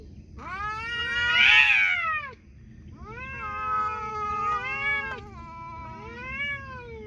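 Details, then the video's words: Cats talking: a loud, drawn-out, strained meow for about two seconds, then after a short pause a run of three or four shorter arching meows, each rising then falling, over a low steady background hum. "Cats talking"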